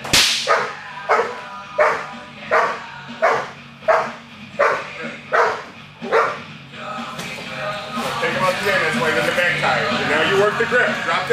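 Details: During Schutzhund protection training on 10-7-11, Charlie, a 21-month-old American Bulldog, lets out a run of regular, forceful barks for about seven seconds before they give way to a man talking and background noise.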